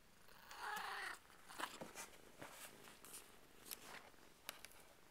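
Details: Purrdy's Burmese kittens at two weeks old give a short, wavering high mew lasting about half a second, followed by scattered clicks and rustling sounds.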